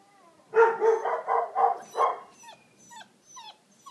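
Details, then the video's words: Deutsch Drahthaar hunting dog from a Romanian kennel; five rapid rough barks in a burst lasting about one and a half seconds, followed by faint thin whines and squeaks. "deutsch drahthaar"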